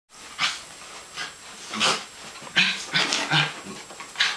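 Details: West Highland White Terrier at play, giving short harsh breathy bursts of growling and panting roughly every half second, some louder than others, with faint background noise.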